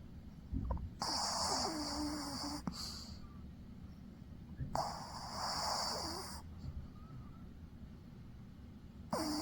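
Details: Snoring from a dog fast asleep, two drawn-out raspy breaths with a thin whistling edge, separated by quieter pauses, against a constant low background rumble.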